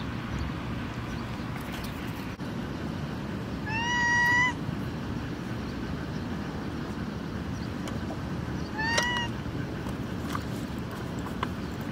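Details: Hungry street kittens calling: two clear, harmonic meows a few seconds apart, each short and slightly rising then falling, over steady low traffic rumble and street noise.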